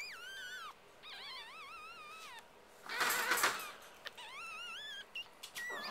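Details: Biewer Yorkshire Terrier puppies of an all-female litter give high, wavering whines that rise and fall in overlapping bursts.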